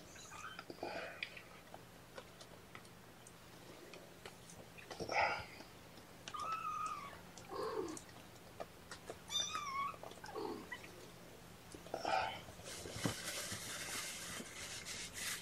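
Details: Young guardian kittens mew during their first morning syringe feeding of formula, held in a lap, 8 May 2018: several short, high, wavering cries, some rising then falling, spaced a few seconds apart, ending in loud rustling noise.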